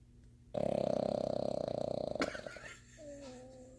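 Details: A Boston Terrier snores while held in its owner's arms, a fluttering, rattling buzz lasting under two seconds.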